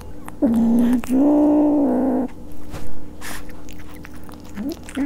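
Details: Maine Coon kitten at a German cattery in Leverkusen, angry while eating fish, gives two long steady throaty growls back to back, then short rising growl fragments amid chewing and biting noises over a low hum.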